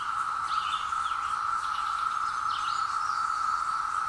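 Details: Periodical cicadas, out after 17 years, fill hillside woods with a level, ceaseless buzz recorded on a Zoom H2; brief rising and falling bird whistles sound over the drone.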